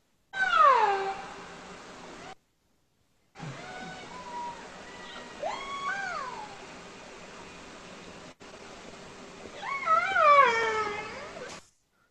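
Killer whale calls: bursts of harmonic, squealing tones that slide sharply down and up in pitch.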